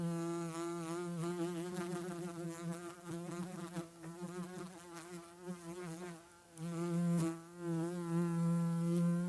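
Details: Bee at work pollinating flowers, its buzzing hum wavering in pitch and loudness as it moves near and away, with brief dips around the middle and a strong, steady drone again toward the end.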